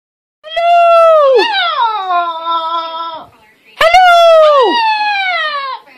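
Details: Female chihuahua in Millis, Massachusetts, formerly a breeder dog, excitedly greeting her new owners with a 'hello': two long loud harmonic yowls, each rising, then bending sharply downward and trailing off, in a quiet room.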